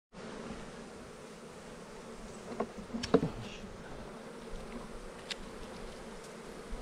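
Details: Honey bees buzzing at an open hive while a beekeeper scrapes burr comb off a frame; a steady low hum with brief scraping and clicking sounds near the middle.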